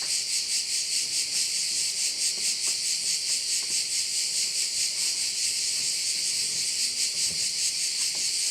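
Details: Crickets at one of the bays on Korčula, Croatia, filling the air with a dense, unbroken, shrill high buzz that throbs steadily a little over twice per second, with faint scattered low knocks beneath.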